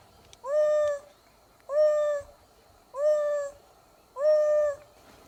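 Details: Two young male African wild dogs (painted wolves), separated from their pack and trying to catch up, call down into the ground for maximum distance. Four mellow, tonal hoo-like notes, each about half a second, evenly repeated roughly every 1.2 seconds.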